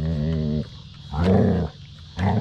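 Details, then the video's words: Basset Hound named Mo playing with his sisters on a deck, greeting them; low rumbling growl-howl with strong harmonics lasting half a second, then two more loud grumbling bursts, scuffling between. "How Basset Hounds say Hello"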